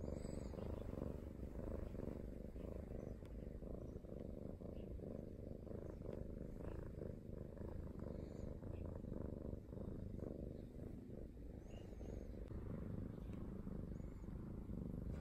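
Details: Pampering Norwegian Forest Cat purring at length, a deep even pulsing rumble that rises and falls with each breath, with a few faint high chirps over the top.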